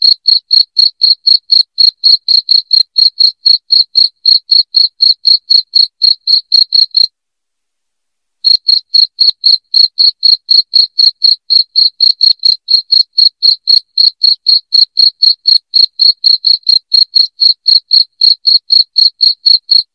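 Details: Loud, high-pitched cricket chirping, intended to repel rats from a house, runs at about four pulses a second, breaks off for about a second midway, then carries on just as steadily.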